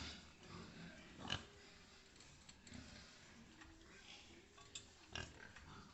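A pig gives two rough, noisy grunts a few seconds apart over a low background hum, with a voice naming and spelling the animal.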